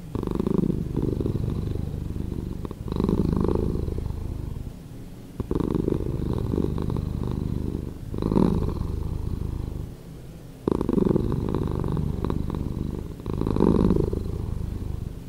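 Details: Slowed-down purr of a cat, a low buzzing rumble that rises and falls in long breath cycles, each phase lasting about two to three seconds, with short quieter gaps between them.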